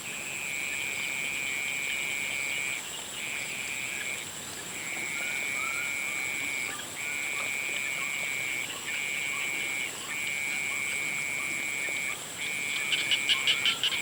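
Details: Frogs calling at sunset outdoors: a steady, high, shrill trilling chorus that continues with brief pauses every second or so, a fainter higher whine above it, and short pulsed calls rising near the end.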